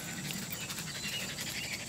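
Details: Pet dogs Madigan and Bailey, one of them a springer spaniel, running through fields; quick breathy pants repeat several times a second, soft and rhythmic, over a steady hiss of movement.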